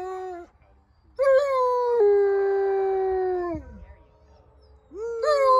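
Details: Wolfdogs at a farm in New Jersey howling along with a guide's howl: long, steady, smooth tones with rich harmonics, one held for over two seconds before sliding down, then a new howl rising at the end.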